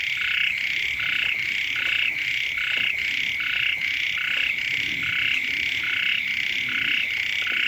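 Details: Many frogs croak together beside a house when the rains first come, pulsing buzzy calls in an even, rolling beat about once a second, with faint low rustling beneath the chorus.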